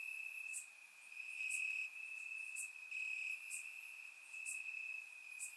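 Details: On a warm summer night in Bulgaria, crickets chirp in the grass: one sustained shrill trill holding a single high pitch, rising and falling softly in volume, with short sharp clicks roughly once a second above it.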